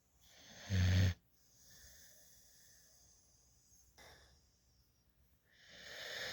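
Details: Female puppy adopted from a dog rescue at 8 weeks, asleep in a lap while drooling with her tongue out, giving one short low rasping snore, then quiet breathing and a fainter snore starting at the end.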